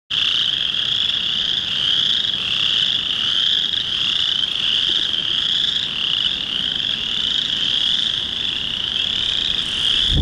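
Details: Chorus frogs, many males calling at a pond in early March to attract females during the first warm rainy days of spring; a dense, unbroken chorus of high, trilling calls that overlap into a steady shimmering wall of sound.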